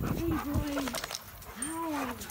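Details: Old dog Remington greets owners home from a two-week vacation with high, wavering whines that rise and fall in short arcs, two clear cries within a couple of seconds, with a man's voice talking alongside.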